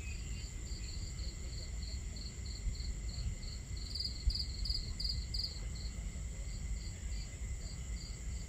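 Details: Crickets at a nighttime campsite keep up even high-pitched chirps, with a stronger run of pulses near the middle, over crackling fire and the low continuous sound of water.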